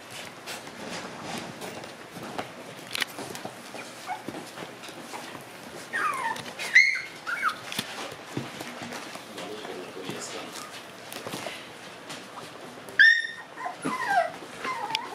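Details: Black Shiba Inu male born on July 4. After a stretch of rustling and handling noise, he gives a high, thin whine that slides downward. A second pair of whimpers follows near the end, with shorter, wavering squeaks after them.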